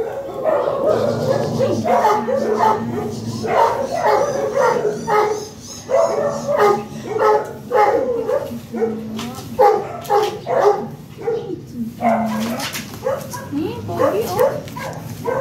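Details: Michael, a Chow Chow stud dog, during a stud service session in Manaoag, Pangasinan; a busy run of short, repeated barks and yips with brief pauses, overlapped by people talking nearby.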